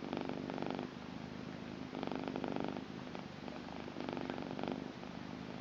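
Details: A blue female British Shorthair cat purrs steadily, a low rumbling vibration swelling and easing with each breath.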